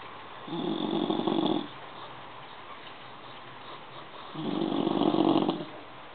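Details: Bulldog asleep, giving two drawn-out rattling snores about four seconds apart, each lasting roughly a second, with quiet breathing pauses between them in a small room.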